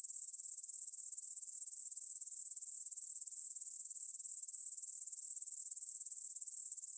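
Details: At 9pm on 6 September 2020, grasshoppers chirr in a field near the Svensky monastery, Bryansk, Russia, captured on a Tascam DR-44WL in stereo: high, sibilant pulses repeating quickly and evenly, a dense uninterrupted insect wash.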